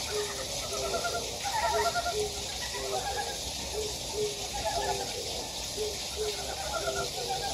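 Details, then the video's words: Wild frogs in a stream valley of Gyejoksan, Daedeok-gu, Daejeon, South Korea, give brief low croaks repeated every half second or so, with higher chattering notes between, against constant flowing-water noise. "계곡에 자연의 개구리 울음소리"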